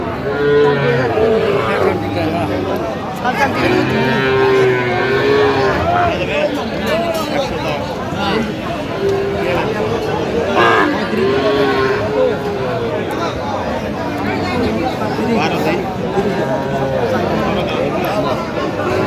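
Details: Young Sahiwal bull calves at a crowded cattle haat near the end of November 2025; repeated low moos come through a steady din of people haggling over prices and talking nearby.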